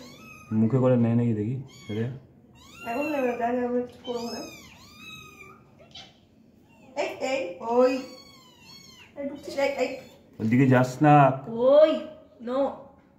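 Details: Tiny kittens, possibly strays, meow repeatedly in short, bending cries while playing, with human voices and laughter nearby.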